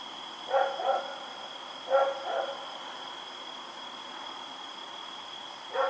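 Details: Rex, a dog running around at night, recorded October 7, 2018: short paired barks at about 0.6, 1.9 and 5.8 seconds over a steady high electrical hum.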